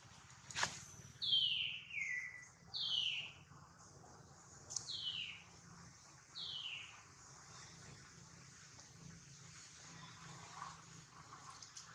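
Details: Baby monkey Duke, whose attempt to catch his mother fails while his mother Duchess worries over him, gives four high, thin squeals that slide steeply downward, spaced about one to two seconds apart, followed by quieter background rustling.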